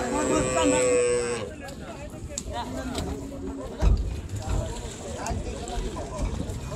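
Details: Gabtoli cattle market, 2022, as big bulls and cows are brought off a boat. A short bellowing moo opens the sequence, followed by busy market noise: voices, knocks and a low motor drone.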